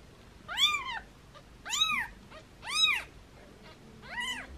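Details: Playful foster kittens meowing in hands: four clear, high, arching mews about one second apart, bright and squeaky, the last a little softer, in a quiet room.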